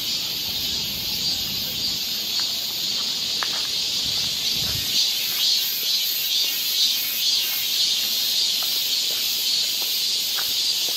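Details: Summer cicadas along a forest trail in Seoul, Korea, producing a sustained piercing buzz with soft regular swells, plus a low rumble early on and scattered light ticks.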